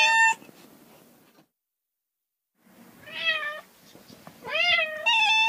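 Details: Domestic cats making short meows, including a falling, slightly strained call and a bright steady one at the end, over a faint noisy background with a moment of silence.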